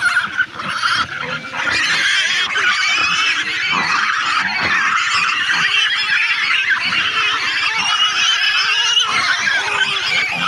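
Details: Continuous high, grating pig screams hold a steady loud level throughout, and brief harsher cries break through the constant shrieking.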